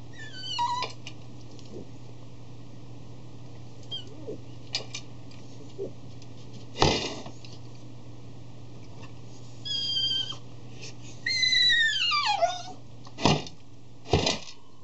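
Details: Indoors, a 3-year-old male Cavalier King Charles Spaniel stares at his food, bangs his dish with his nose and cries piteously before eating. Scattered clatters of the dish surround brief high whines and one long downward-sliding cry.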